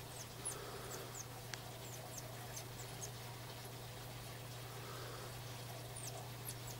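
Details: Mongolian gerbils during nursing of young: faint, thin high squeaks sweeping downward, scattered a few per second over a steady low electrical hum and hiss, with one brief sharp click near the middle.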